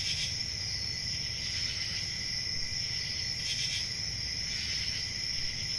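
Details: Crickets on a peaceful rural summer night make a steady high-pitched trilling drone, swelling into brighter pulsed bursts at the start and around the middle, over soft low rumble.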